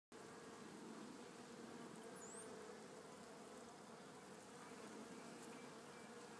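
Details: Italian honey bee colony in a new hive with its Italian queen, installed March 30, 2013, recorded April 27, 2013, among capped brood and larvae: a steady, even, low droning hum without a break.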